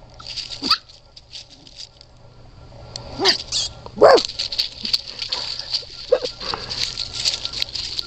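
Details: Red Standard Poodle puppies giving a few short, scattered yelps and whimpers over a steady hiss, with soft rustling and shuffling between the calls.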